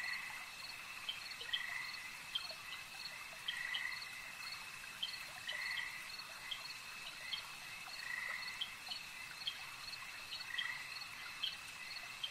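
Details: Buzzy frog croaks recur every two seconds or so at a lake, interspersed with rapid clicking notes, all over a persistent shrill background drone.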